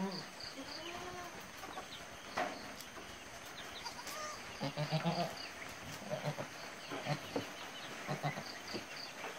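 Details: Goat Kingini, just after giving birth to three kids named Porinju, Mariyam and Jose; a few short wavering bleats open the recording, then rustling, people's voices and other farmyard noise fill the rest.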